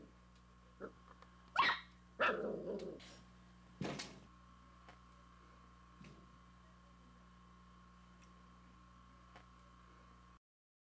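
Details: Puppy barking at a dog in a window: a few sharp high yips and rough barks in a quick burst, then quiet with a steady electrical hum underneath.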